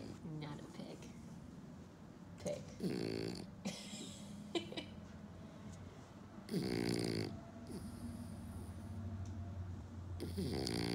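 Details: A French Bulldog, who had nasal surgery at age two, snorts in rough, pig-like bursts while a person talks quietly in the background.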